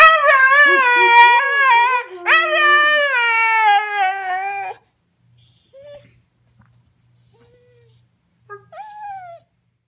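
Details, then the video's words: Husky singing along to the Sanford and Son theme: two long, strong wavering howls over the first five seconds, then near silence with a few soft short yips and a brief rising whine at the end. "Husky Sings Along to Sanford and Son"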